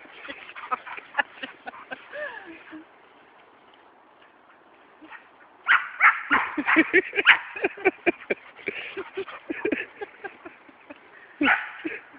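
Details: Two dogs, Murphy the springer spaniel and Teasel the German short-haired pointer, chase each other through woods to get a ball back. Quick bursts of barks and yelps with short whining tones, a quiet gap, then dense clustered barking.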